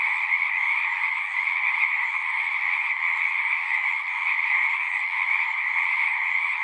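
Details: Pond frogs in a horse pasture singing together, recorded with a Zoom 6; constant high-pitched trilling from many animals merges into one even drone from start to finish.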